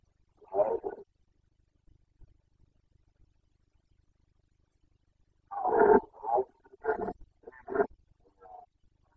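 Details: Boncănit, the rutting roar of a Carpathian stag in Bucovina, breeding season 2021: one hoarse bellow, a pause of several seconds, then a run of four or five short, harsh, grunting roars that fade into softer trailing grunts.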